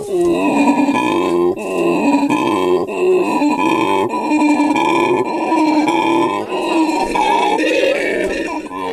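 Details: Captive howler monkey family at Monkeyland, South Africa. The male talks in a steady run of deep, buzzy, harmonic grunts that waver up and down with little pause. The calls stay loud and close throughout.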